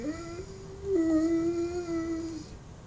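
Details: Mastiff begging for bacon indoors, a thin, steady high whine held for about two seconds with a slight dip midway, in a small quiet room.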